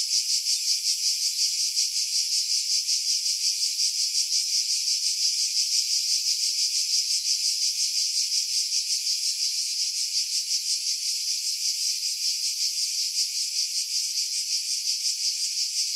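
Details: Pine-dwelling cicadas on Skiros Island, Greece, in July, about 50 m above the sea at Pefkos Bay; an unbroken high-pitched rasping drone with rapid rhythmic pulsation throughout, low sounds filtered away after heavy wind buffeting.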